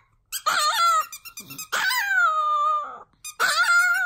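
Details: First ever howl from Cedric, a Chihuahua: a wobbling opening note, then a long, drawn-out howl that slowly sinks and lasts over a second, with a brief pause before a strong rising howl resumes.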